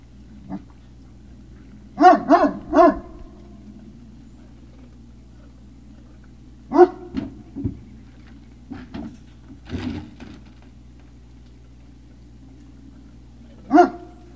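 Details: Great Dane puppies at Puppy Hill, recorded on 3 May 2019 in the early evening. Short, sharp puppy barks come in scattered bursts: a quick triple bark, a cluster in the middle, then one final yap, with quiet pauses between.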